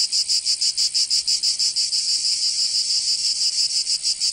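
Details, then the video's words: Cicadas singing in summer in Provence, southern France: a dense, harsh buzzing chorus pulsing rapidly, about three beats per second, with a steady high rasp underneath and no other sounds. "Canto Cigarra 🦗 [ Escuchar les cigarras en verano 10 H]"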